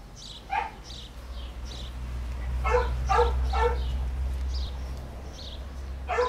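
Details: Basset Hound in Ukraine giving a series of deep, resonant barks, single and in quick pairs, some louder and some fainter and farther off, over a steady low rumble in the background.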